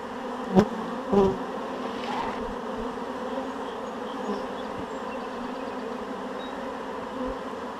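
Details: Honeybee swarm being shaken into a hive box; a steady, full buzzing hum of many bees, with two sharp knocks early on and a softer thud later.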